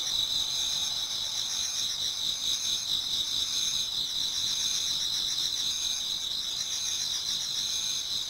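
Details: Many insects singing in a Japanese garden at autumn dawn: continuous high shrilling in two tones with slower, softer pulses, a smooth wall of sound with gentle ripples of trilling.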